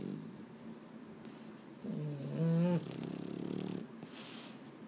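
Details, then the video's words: Boston Terrier at bedtime, unable to sleep, from a home with two males, Mambo and Cub: one drawn-out, wavering moan-like whine, rising then bending down, over quiet indoor background hiss. "【Boston Terrier】 I can't sleep…"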